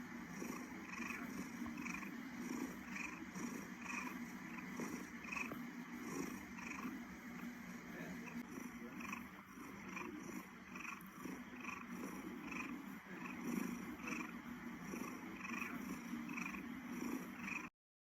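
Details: A purring cat, a continuous low throbbing rumble with evenly spaced pulses lasting the whole recording, fairly close and steady in level.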